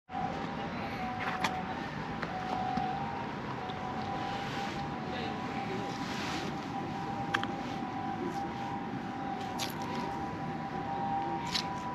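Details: Urban traffic hums beneath a steady electronic tone, with occasional sharp clicks and a distant murmur of voices.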